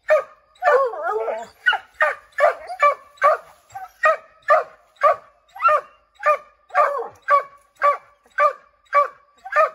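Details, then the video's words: Redbone Coonhounds barking at a chipmunk up an oak tree; a brief wavering howl opens, followed by evenly spaced loud barks repeated nearly twice a second. "Redbone Coonhounds Tree a Chipmunk"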